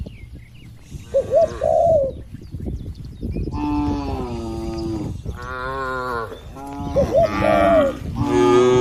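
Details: Tame cattle grazing freely on a wide green field with a herder in the countryside, giving two drawn-out harmonic moos in the second half, with soft rounded dove coos before each and light wind throughout.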